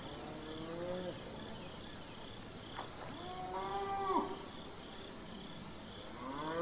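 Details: Farm cattle lowing: a short moo that falls away, a pause, then a longer rising-and-falling bellow, over steady background hiss and faint insect noise.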